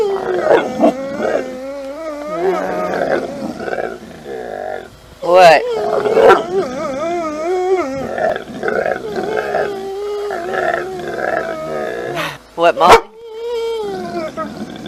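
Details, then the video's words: Pet dog making drawn-out, wavering, moaning 'talking' sounds, said to be trying to say 'momma', while a woman repeatedly asks 'say mama' and 'what'; brief music and sharp clicks in the background. "Talking Dog Talking Dogs Talking like humans talking dog says momma"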